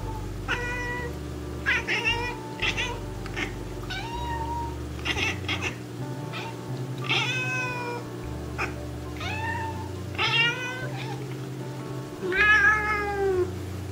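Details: A Japanese Bobtail cat gives a series of sweet, soft, varied meows spanning a wide range of tones, some rising and falling in a sing-song way.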